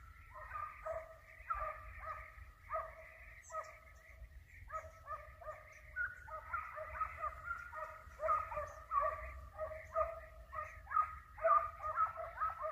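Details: Hunting dogs on a hare hunt give voice after flushing a hare that is in sight: rapid, uneven yelping barks, nearly two per second, with ringing overtones and overlapping voices, over a steady low rumble of wind.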